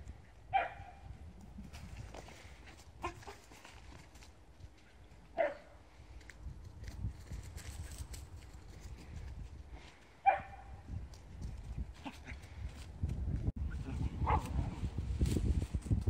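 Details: Blue merle Shetland Sheepdogs, three countryside brothers, the younger two running around while one lies down and waits; single sharp barks spaced several seconds apart, over steady low outdoor rumble.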